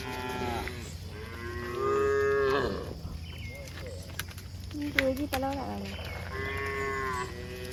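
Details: Cows walking on a hill journey give deep, drawn-out moos rich in harmonics, with a few sharp knocks, likely footsteps, between calls.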